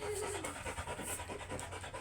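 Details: Oversize chocolate Labrador dog at a stud session in Rosales, Pangasinan, 2024, panting in quick, steady rhythmic breaths with a low background hum.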